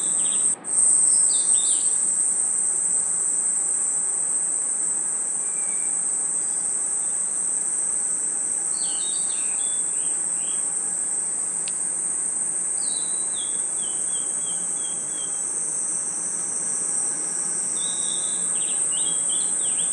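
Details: Night-time forest insect chorus of crickets: a continuous high, even trill fills the whole stretch, broken by scattered clusters of quick, sharp chirps and short falling whistles.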